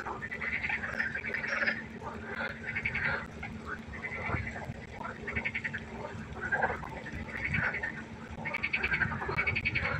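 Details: Many frogs croaking at night by a pond, a quieter, busy chorus of short pulsed calls overlapping throughout, with a steady low hum underneath.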